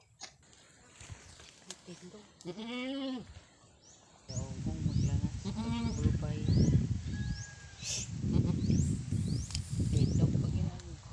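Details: Goat on a farm during a birth, a strong doe on her fourth kidding delivering a kid: a wavering harmonic bleat of about one second, then a louder rough stretch with a second shorter bleat, voices and rustling throughout.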